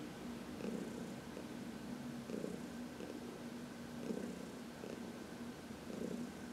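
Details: Continuous low purring from Heidi, an elderly adopted cat, as she is massaged in the sunshine; rhythmic rumble swelling in gentle pulses about once a second, quiet room.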